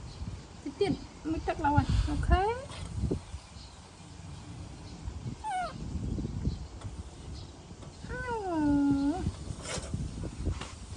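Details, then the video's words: Tantrum of a baby monkey when its mother walks away: scattered squeaky whimpers early on, then a long, drawn-out wail that rises and levels off near the end. People talk softly and there is handling noise. "Adorable Baby Monkey Tantrum When Mom Leaving"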